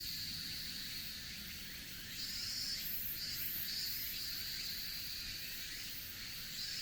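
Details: Cicadas sing on a cool end-of-summer day on a mountain forest road in Japan: a steady high buzzing band overlaid by a higher shimmering layer that pulses in short bursts, with no other clear sounds.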